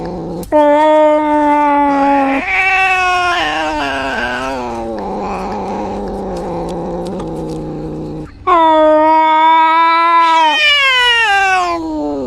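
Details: Drawn-out caterwauling by an injured cat: a steady, nasal wail that shifts pitch and sags into a lower groan. After a brief break, a loud second howl rises and then tails off downward.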